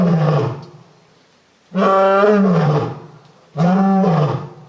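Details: Lion in a Japanese zoo, Tokushima, giving very loud, low roars that are still somewhat cat-like: one roar fading at the start, then two strong, groaning roars of about a second each, less than two seconds apart.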